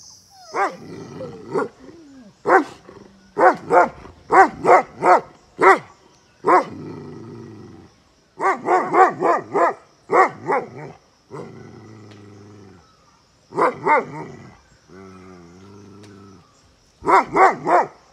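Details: Tibetan Mastiff (Bhote Kukur, dokhyi) at a kennel in Okhaldhunga, Nepal, giving deep, loud barks in quick bursts of four to six, separated by low grumbling growls, over a faint steady high whine in the background.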